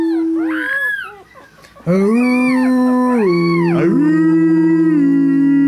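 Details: Three-week-old Chihuahua puppies howl along with their owners: high, wavering, arching whines ride above the people's loud, steady, low sustained howling tones.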